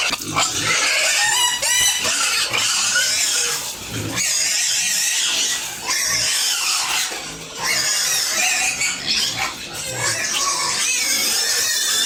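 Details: Home-farmed pigs and piglets during feeding keep up loud, harsh squealing in bursts, several pigs overlapping, with short quieter gaps near four and seven seconds and a low grunt now and then.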